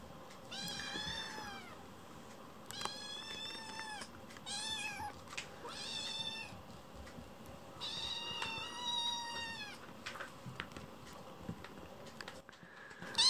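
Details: Chicchi, a foster rescue kitten, crying loudly indoors after waking from a nap and pacing the room: about six drawn-out, harmonic-rich meows, some wavering and rising then falling, spaced one to two seconds apart over faint room noise.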